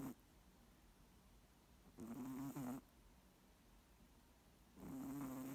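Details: Snoring moose: long hoarse, droning breaths with a steady buzzing pitch, each lasting under a second, repeated about every three seconds, with quiet pauses between them.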